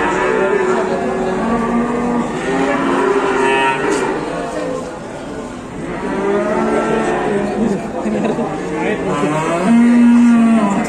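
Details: Cattle newly arrived at an Indonesian livestock pen, one with a torn nose, lowing in long, drawn-out, richly harmonic moos: three sustained calls, at the start, midway and at the end, each swelling and then fading, over a steady background hum.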